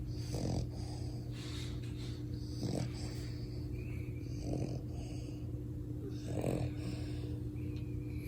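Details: Sleeping French Bulldog puppy snoring loudly, with four rough, rasping snores about every two seconds over a steady low electrical hum.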